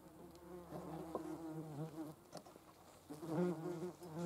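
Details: Wasps gathering protein to feed larvae: a close, low humming buzz whose pitch bends up and down, dropping away briefly midway before a loud, steady drone returns.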